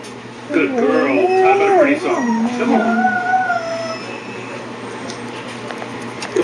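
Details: Pet dog singing along with a recording of herself played on a computer, her wavering, sliding howls rising and falling over about three seconds, overlapping with the recorded howling.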